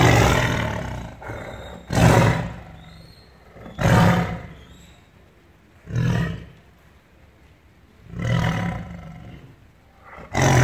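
A tiger gives deep, rasping roars, each a loud burst repeated roughly every two seconds.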